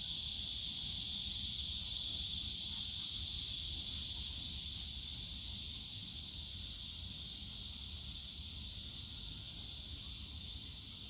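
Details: In the bamboo forest of Yongsan Family Park on a summer day, a steady high cicada buzz fills the air, gradually fading somewhat over the last seconds, above a gentle low murmur of park noise.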